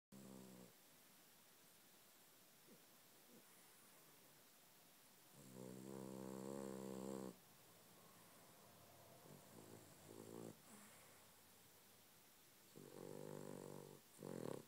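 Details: Pet dog named Rudy snoring while asleep indoors: rough, buzzy harmonic snores in a few long bursts of one to two seconds, with quieter breathing between and a soft room hiss throughout.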